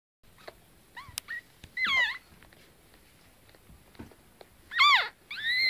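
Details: Newborn pug puppies about twenty minutes after birth, crawling around a warm basket and making their first sounds: thin, high squeaky whimpers rising and falling, a few short squeals in bursts, quiet room between.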